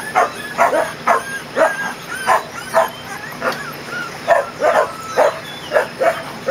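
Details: Brandy's Kerry Blue Terrier pups, aged 20 days, exploring an outdoor play area for the first time on June 20, 2014, keep up rapid, repeated high-pitched yelps and squeals, roughly two per second, with occasional short whines.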